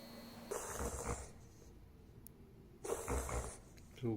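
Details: A male beagle-pug mix, about 12 years old, gives a reverse sneeze: two bursts of harsh, rapid snorting inhalations.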